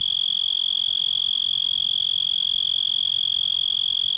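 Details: A cicada in a yard sings a steady, piercing high trill that holds without a break.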